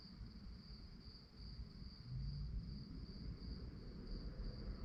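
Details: Rapid, even, high-pitched pulses from crickets at night run throughout. A low rumbling background grows louder about halfway through.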